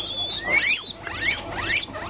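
Shrill, piercing whistles from guinea pigs come in quick bursts, each note sliding upward and then dropping away. These excited wheeks are the calls they give when expecting food.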